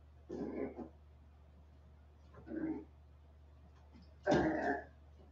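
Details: West Highland White Terrier puppies, 47 days old, indoors after an outdoor break: three short, throaty whimpering grunts at about 0.5, 2.5 and 4.5 seconds, the last loudest, over a steady low electrical hum.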